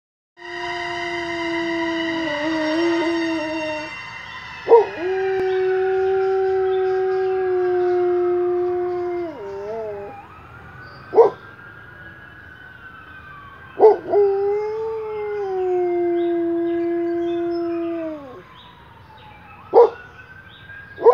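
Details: Pet dog howling indoors, a behaviour that usually happens at night. Long, drawn-out, tonal howls of several seconds each hold steady, then bend or fall, with a few sharp knocks between them.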